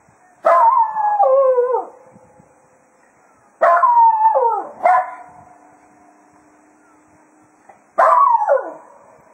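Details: At Quail Roost after foxhunting, Jack Russell Terrier Cato sends off the hounds with three falling, quavering howls spaced about four seconds apart, the second trailed by a short extra yelp, with silence between.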